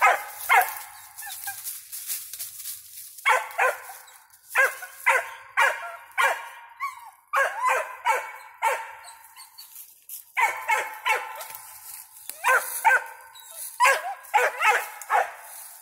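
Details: Ranger, a five-month-old squirrel dog, barking at a treed squirrel: bright yelping barks in uneven clusters of two to four, with short quiet gaps, continuing steadily throughout.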